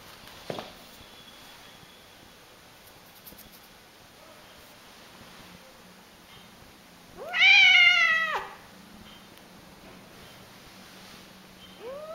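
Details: One clear meow of just over a second, rising quickly then sinking, from a cat said to meow in a very funny manner; otherwise a quiet indoor background with a short tap early and another meow just starting at the end.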